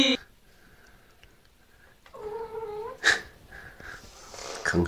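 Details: Mother cat making soft whining, grumbling sounds indoors while her only kitten plays with toys it finds under the bed. A steady mew with stacked harmonics lasts under a second. A person talks before and after it.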